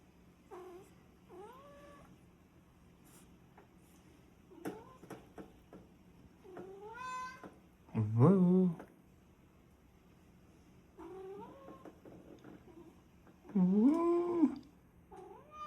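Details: Cat perched on top of a fridge, calling indoors; drawn-out wavering meows with rising and falling pitch, a few loud louder yowls among softer ones, spaced several seconds apart, with a person's voice nearby.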